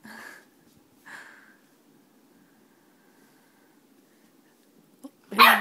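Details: Female puppy, seven weeks old, seeing herself in a mirror for the first time: two short, high yelping barks about a second apart, then a quiet stretch and a sudden loud burst at the end.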